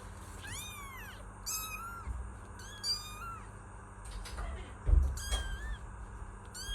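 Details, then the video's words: Kittens meowing, with high, arching harmonic-rich meows repeated at irregular intervals through the recording, about six calls, plus a low steady hum and a faint thump near the end. "Kittens Meow || Kucing Mengeong || Meow Sound Effect || Kitten Sound"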